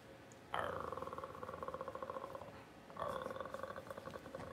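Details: Puppy whining during a power-outage livestream: two long, steady, pulsing nasal cries, the first lasting about two seconds and the second starting a second later, heard indoors with a soft background hum.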